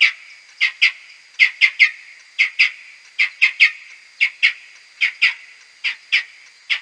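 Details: Slowed tenfold, Type A social calls of whiskered bats from a wooden-hide maternity roost in May 2022: crisp repeated chirps, some doubled or tripled, roughly one per second, above a thin steady whine.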